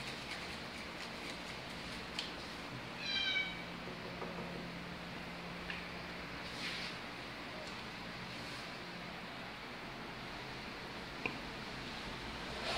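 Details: A Bengal cat gives one short, high meow that slides downward, then falls quiet against a faint background hiss.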